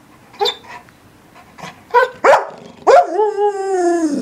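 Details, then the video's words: English Springer Spaniel giving a few spaced, growing barks, then breaking into a long drawn-out whining howl that slowly slides down in pitch. "Barking Springer"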